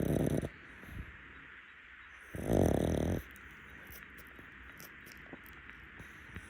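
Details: A napping rescue pug on a futon snores: a loud, rough, buzzy snore at the start and another long rasping snore lasting about a second midway, with quiet breathing between.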